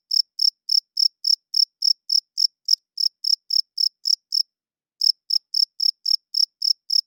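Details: Male cricket chirping at night, a wing-rubbed signal for attracting females and establishing territory; bright high chirps roughly four per second stop for about half a second near the four-second mark, then resume at the same pace.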